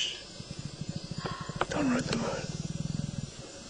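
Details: Lion and lioness mating: a fast, steady train of low, rasping pulses runs through the whole stretch, about three to four per second. Human voices break in briefly in the middle.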